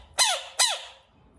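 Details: Bullfrog screaming: two short, loud, harsh squawks in quick succession, each sliding downward in pitch, in a quiet space.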